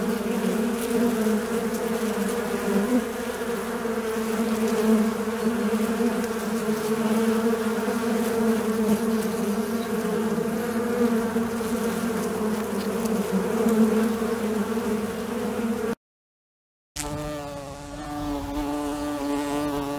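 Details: Continuous droning buzz of a fly, a low harmonic hum holding steady for about sixteen seconds, then a brief gap of silence and a higher, sharper buzz resuming at the end.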